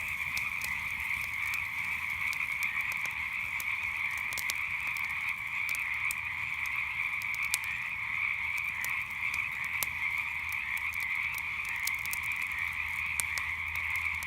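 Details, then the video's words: Many frogs croaking together after dark by a campfire, a constant shimmering drone punctuated by light, irregular crackling of burning wood. "Relaxing Sounds of Frogs and Campfire at Night"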